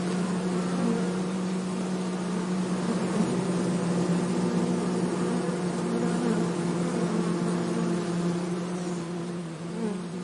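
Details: Forest honey bees being transferred from an anthill into a hive box at Hebri; one continuous low humming tone holds steady over a soft rushing background, fading a little near the end.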